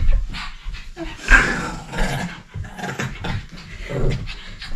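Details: A pet dog, described as crazy and energetic, pants indoors in a small room: soft, breathy, irregular huffs in quick succession, with a louder rasping exhale near the middle and low thumping handling sounds beneath.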